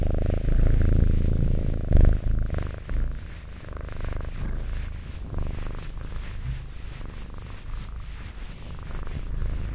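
A cat purrs steadily, a low rumbling vibration that rises and falls with each breath.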